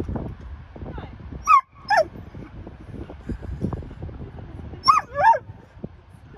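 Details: A husky gives short, high whining yelps and sharp barks in brief bursts, amid spells of howling and whimpering. He was often vocal, especially about food or sheep.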